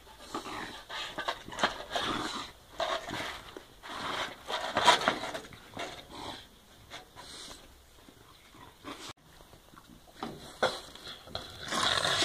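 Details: French Bulldog tearing apart a broom indoors, breathing in rapid, noisy huffing pants and snorts in irregular bursts, mixed with scraping and rustling of bristles, with a louder flurry near the end.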